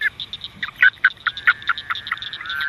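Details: A male Woodhouse's toad (Anaxyrus woodhousii), caught in a swamp at night during breeding season, chirps and vibrates with quick, irregular release calls telling another male grabbing him that he is not a female and to let go.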